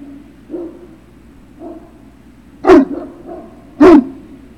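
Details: At Puppy Hill on an afternoon in June 2019, a Great Dane puppy makes a few soft low woofs, then two strong barks about a second apart, with a quiet steady hum underneath.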